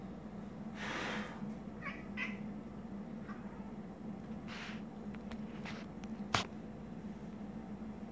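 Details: Pet cat making its odd chittering vocalization at a moth inside a room: quick faint chirps and clicks come in scattered clusters, with a breathy rustle and one sharp tap against a constant low hum.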